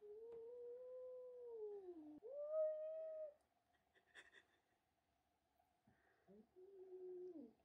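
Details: Indoors, George the cat, unhappy about a young kitten called Milo arriving and taking his tuna, lets out drawn, wavering yowls that sag in pitch at the end, a pause with faint clatter, then another falling moan.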